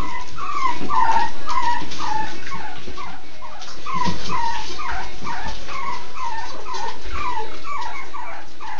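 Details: Miniature Schnauzer puppies at a breeder's, whimpering and yelping in a steady stream of short, down-slurred squeaks that overlap one another, with a faint background hiss.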